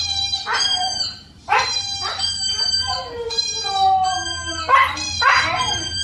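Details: A 4-month-old Siberian Husky puppy howls in drawn-out, wavering notes with yodelling breaks, answering a dog howling on TV.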